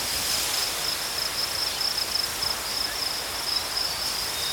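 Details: High, thin cricket chirping pulses steadily through a wash of broadband outdoor hiss, the rapid trill rising and falling in loudness across the few seconds.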